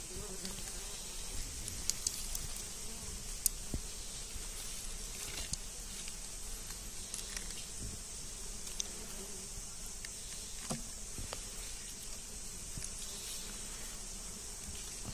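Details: Wild honey bees swarm during a honey hunt, giving a continuous low buzzing hum. A steady high hiss runs over it, with scattered clicks and taps.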